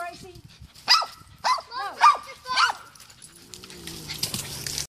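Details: A poodle that has climbed a neighbour's tree to reach a cat gives four short, sharp, yelping barks about half a second apart, followed by rustling and scraping noise, with human speech around.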